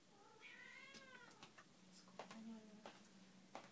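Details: Cat at an animal shelter meowing; a drawn-out harmonic meow that rises then falls, followed by a shorter lower meow and a low steady tone, with a few sharp clicks in the room.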